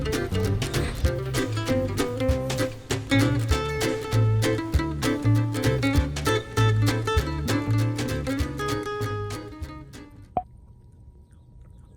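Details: Plucked acoustic guitar music plays for ten seconds, then stops, leaving a brief thin tone and near silence.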